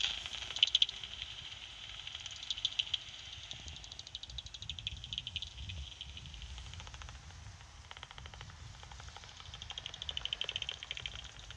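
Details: Two pipistrelle bats, thought to be soprano pipistrelles, echolocate at night through an auto-tuning bat detector: rapid dry clicks and ticks, with bursts speeding up and slowing.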